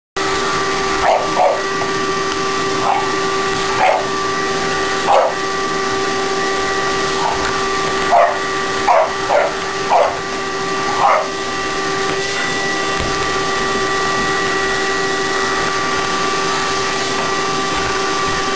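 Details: A shop dog in training yips while helping vacuum the shop: short, high, repeated yelps in irregular bursts over a steady whining vacuum cleaner hum that runs throughout.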